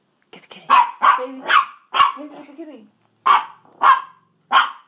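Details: Dachshunds Sausage and Weenie bark in quick shrill yaps while told to get the kitty; a short burst of human speech breaks in midway before the high barking resumes at an irregular pace.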